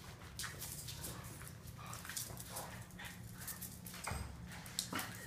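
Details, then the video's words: Low, continuous growling from Boston terriers locked in a tug of war, with rough scraping and jerking sounds layered over the rumble and a louder thump near the end. "Funny tug of war between boston terries"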